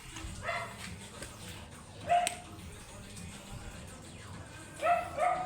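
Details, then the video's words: Angry, matted Shih Tzu during grooming, giving a few short sharp barks: one near two seconds in, then a quick pair close together near the end, over a quiet background hum. "Angry and matted shihtzu"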